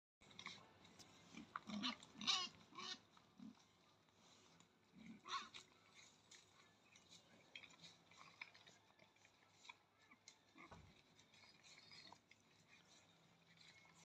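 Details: Wild boar with piglets in Spain give short, rough grunts and squeals in scattered bursts.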